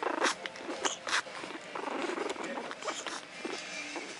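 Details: A Japanese Chin puppy three weeks and two days old, lying defensively on its back, makes soft, trilling, tribble-like squeaks and little grunts, interrupted by clicks and rustles.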